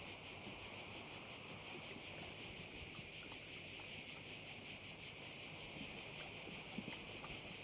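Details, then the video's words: Cricket chorus at a bay on Korčula, a steady high-pitched trilling buzz with a rapid, even pulse and no breaks, with soft wind and distant low rumble underneath. "view of one of the bays in Korcula with sounds of crickets"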